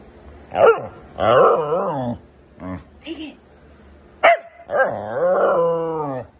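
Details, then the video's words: Husky talking indoors: a run of expressive howl-like vocal phrases, short yips followed by long wavering whines with sliding pitch, the last call sustained for nearly two seconds. "Hilarious Talking Huskies Compilation | husky talking"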